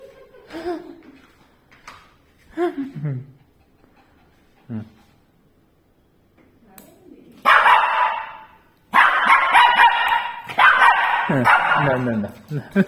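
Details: Shih Tzu frightened by a tea leaves ball infuser; soft whimpers and a reassuring voice speaking Tamil at first, then a run of loud, rapid, harsh barks bursting out near the end.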